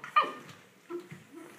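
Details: Olde English Bulldogge puppies, ten weeks old, at play: one sharp high yip falling quickly in pitch, followed by two softer low grumbling whimpers.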